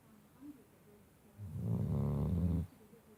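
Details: Indoors on a bed, a sleeping Shar Pei pup gives one deep, throaty snore of just over a second after a faint murmur, then the room falls quiet.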